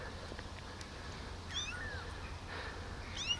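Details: Tiny rescued kittens, abandoned on the street and now living in a warm basement, give two faint high mews, the second thin and rising, over a steady low hum.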